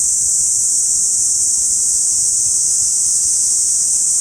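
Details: Massed cicadas in a Saitama City park during August, captured with binaural microphones, producing a constant sizzling high drone without pulses or pauses, nothing else clearly audible.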